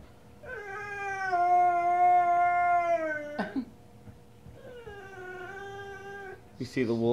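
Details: A female Presa Canario gives two long, tuneful howls in answer to wolves howling on the TV.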